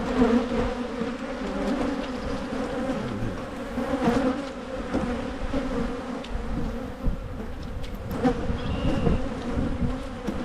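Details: Michigan honey bee colony during hive splitting meant to head off swarming: continuous low buzzing drone, faint passing wingbeats, and a brief higher whine near the end over handling noise.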